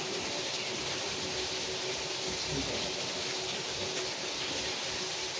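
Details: Steady broadband rumble and hiss of a moving train, with rhythmic clatter and a faint voice, and no animal calls.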